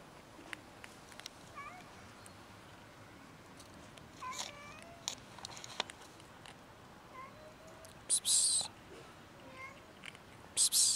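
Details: Street-dwelling fluffy kitten meowing, several short, rising-then-falling mews spaced a few seconds apart, with two loud hissing bursts of noise near the end.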